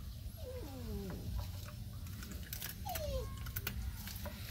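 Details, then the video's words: Puppies breastfeeding give thin, wavering whines that slide downward, one pair near the start and another around three seconds in. Soft clicks and handling noises sit beneath them, over a low steady hum. "Amazing puppies breastfeeding"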